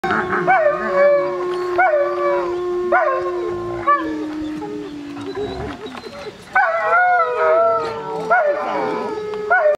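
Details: Several pure timber wolves (Canis lupus) howl together, reacting to neighbouring hybrid wolves howling. One long low note slides slowly down beneath higher wavering voices, said to tell each other not to howl before the alpha begins.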